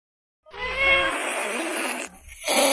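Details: Cat (Felis catus), meow and hiss: anger.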